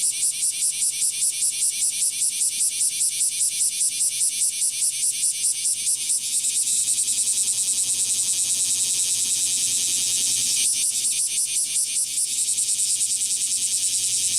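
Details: Summer chorus of singing male kumazemi cicadas, Fukuoka City, Japan, 11 July 2022, courtship song; dense high-pitched shrill buzzing with quick rhythmic pulses, smoothing into a steady drone midway before the pulsing returns.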